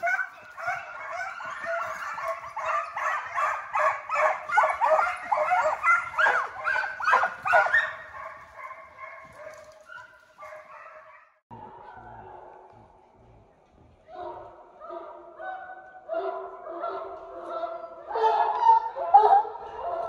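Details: Hound pups being conditioned as deer dogs in a high-speed fox pen, run after coyotes to build speed and endurance; a pack of rapid, overlapping yelps and bays, dense for eight seconds, briefly quieter, then building again.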